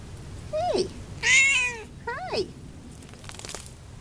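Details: Munchkin tom recorded on 12-13-11, a cat that loves to roll: two short, downward-sliding meows a second and a half apart, with a woman's affectionate chatter in between.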